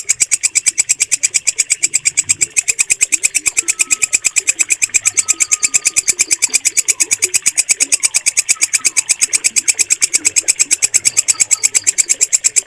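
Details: Steady, shrill walang kecek bush cricket calling, prized by bird keepers for training, pulsing regularly near three times per second throughout, with faint whistles of other birds beneath.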